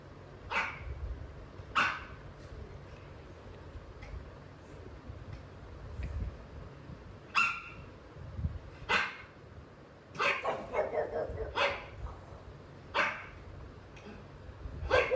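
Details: A pug, jealous of pugs and other dogs on TV, barks fiercely at the screen in sharp, short barks at uneven intervals over a steady background hum, not accepting them in his territory.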